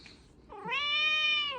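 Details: Domestic cat begging for a toy indoors; a single drawn-out meow about one second long, rising then level and falling at the end, with rich bright harmonics, preceded by faint background noise.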